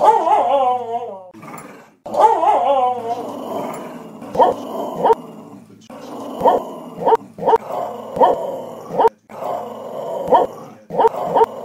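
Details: Pet dog Cheeba 'singing' her own song: a wavering, bending howl opens, then rhythmic short yelps and grumbles follow, cut by sharp clicks at regular intervals.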